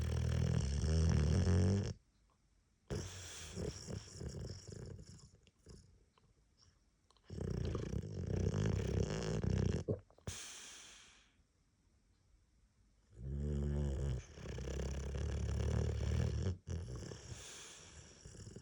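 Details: A boxer with a head cold snores loudly, with deep rattling breaths broken by short silent pauses.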